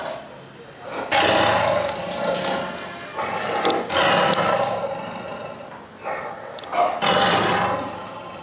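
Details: Tiger named Krishna giving three loud, harsh, rasping roars, near the start, middle and end, each a broad low-to-high rumble lasting a second or two, with quieter breathy grumbles in between.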